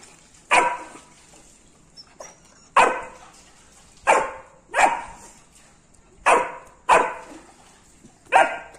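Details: Labrador Retriever puppy barking at a rat: sharp single barks spaced irregularly, roughly one every second or so, each a bright burst with a quick fade, separated by quiet gaps.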